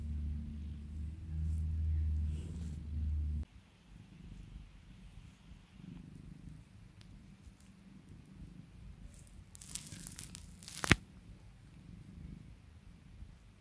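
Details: Spoiled, calmed pet cat purring: a strong deep rumble for the first few seconds drops abruptly to a quieter purr, interrupted later by a sharp rustling burst.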